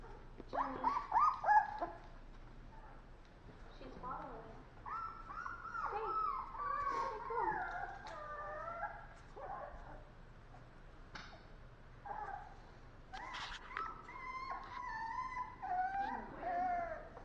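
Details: Sleepy puppy whimpering: high, wavering whines that rise and fall, coming in short bursts with brief pauses between, while a human voice is heard quietly in places.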